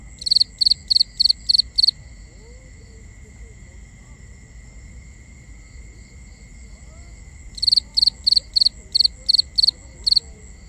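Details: Nighttime cricket chirping, binaural recording: a run of six sharp high pulses, a long pause of near silence with soft low rumble, then another run of about seven evenly spaced chirps.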